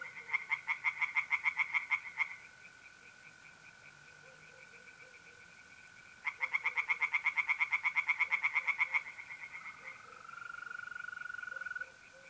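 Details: Night chorus of tree frogs in a north-eastern Italian pond in mid-April. Two bursts of quick, grating croaks, each lasting two to three seconds, are separated by a pause. Between and after them a smooth, unbroken mole cricket trill continues.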